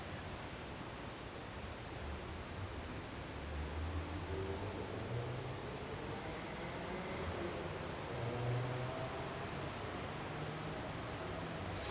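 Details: Steady broadband hiss and faint rustling, with no animal voice heard.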